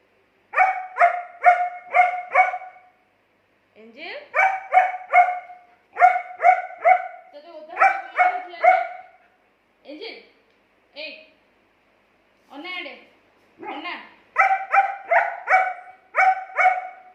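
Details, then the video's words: Arguing with its owner, a German Shepherd dog gives fast strings of short ringing barks in groups of three to five, with scattered lower rising sounds and brief gaps in between. "Dog Arguing With Owner"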